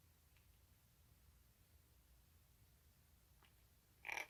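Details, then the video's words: Rescued baby street kitten, a cheese tabby, making unusual sounds while eating hungrily, recorded 1 March 2019; mostly quiet room with faint clicks, then one short, loud, harmonic squeaky cry at the very end. "이상한 소리를 내며 폭풍먹방하는 아깽이 아기길고양이"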